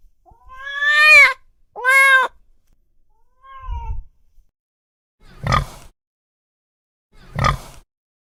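A domestic cat gives two drawn-out, rising-then-falling meows in quick succession, then a short soft mew, followed by two harsh, noisy bursts.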